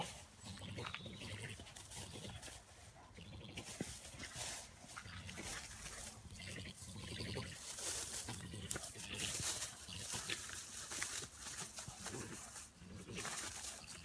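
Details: Two European badgers in a garden, either fighting or mating, give harsh, rasping screams and gurgling growls in a noisy, overlapping burst.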